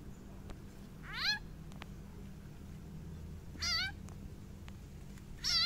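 Three loud, nasal distress cries from a frog seized by a snake ring out a couple of seconds apart. Each is a brief, wavering, cat-like squeal over a steady low background hum.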